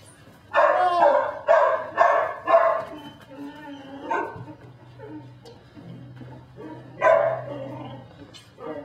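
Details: Barking from Belgian Malinois puppy Dinar, nicknamed Cricket, in Mexico: four high yaps in a row, then scattered fainter ones over a low steady hum, and one more bark near the end.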